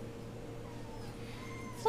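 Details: RagaMuffin kitten from the eight-week-old Vikings litter indoors: faint thin mews, then a short loud meow bursting in at the very end over a steady low room hum.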